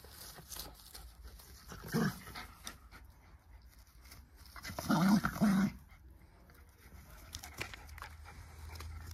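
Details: Play-wrestling between two friendly Jack Russell Terriers: a brief gruff growl at about two seconds, then a longer rasping, wavering growl burst lasting nearly a second around the five-second mark, with soft scuffling between.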